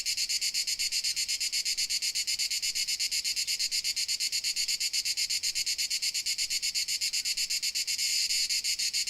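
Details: Dalmatian crickets sing a shrill, rapidly pulsed chorus, steady and high, briefly swelling louder near eight seconds, with nothing else clearly heard.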